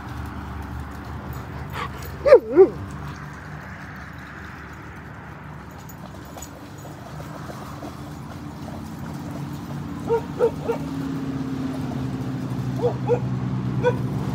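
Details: Siberian Huskies playing and swimming at a lake in a Colorado dog park during a road trip: sharp short barks in quick pairs, spaced several seconds apart, over a steady low hum.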